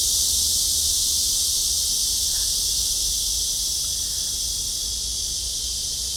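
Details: In late summer 2023, at the Hanbat Library maze garden in Korea, cicadas fill the air with a loud, steady, high, hissing buzz that never pauses.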